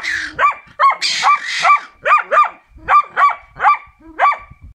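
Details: Karelian Bear Dog being trained, barking steadily: about nine bright, clipped barks in under five seconds, some paired in quick doubles, with a brief whine at the start.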